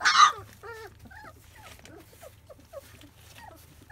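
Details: Twenty-five-day-old field-line Labrador Retriever puppies eating first weaning food; a loud sharp burst opens, then soft repeated whimpers and little wavering whines follow one after another over a quiet background hum.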